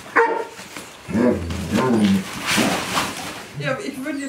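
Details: Young Hovawart puppies, two months old, during a training session on 22 January 2020, giving high yips and low growly barks in several bursts while a woman talks to them in German.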